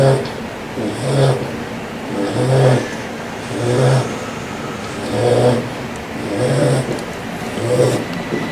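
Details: Sleeping bulldog snoring loudly, six heavy, gravelly snorts rising and falling about every one and a half seconds, each a low throaty rumble followed by a softer breath.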